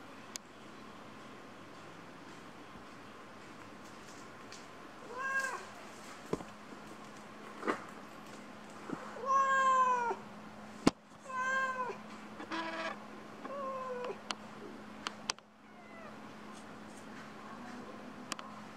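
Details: Two kittens indoors give a run of about six quick, wavering meows in the middle stretch, some overlapping, with a low steady hum and scattered clicks around them.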